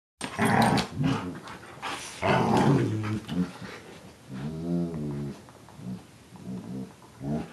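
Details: Two Giant Schnauzers, one black and one gray, growling as they play: loud rumbling growls in bursts over the first three seconds, then a deeper, steadier rolling growl and shorter grumbles that trail off.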